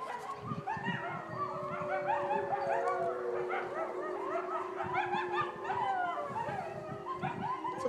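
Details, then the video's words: Wolves howl in a dense chorus. Many overlapping wavering howls and short yips rise and fall continuously for eight seconds, sounding somewhat distant. "Wolves howling"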